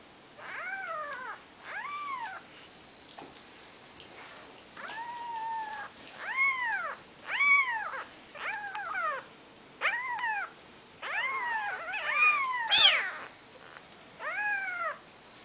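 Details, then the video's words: Maine Coon kittens on their fourth day of life, Nikita's litter, crying in a steady string of short arched mews, each climbing then dropping, roughly one per second with brief pauses, some overlapping, plus soft rustling. "Maine Coon Kitten"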